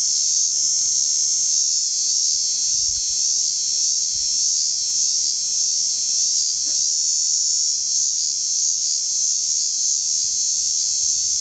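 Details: Cicada at Port Hedland, a loud, steady, unbroken high buzzing drone that holds without pause throughout, with faint low rumbles underneath.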